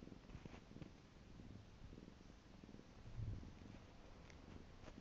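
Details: Piko, a pet cat, purrs in a soft, low rumble that rises briefly in loudness near the middle, with faint rustling and light clicks in a quiet room.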